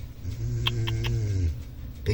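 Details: A big domestic cat asleep and snoring, giving a deep, steady rumble lasting about one and a half seconds, with a few light clicks and a person calling to wake it.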